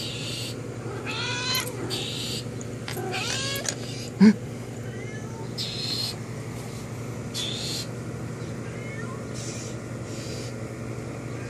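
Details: House cat talking to a friend beyond the window, with several short, fainter meows, some rising, scattered through the clip over a constant low hum. A sharp knock sounds midway.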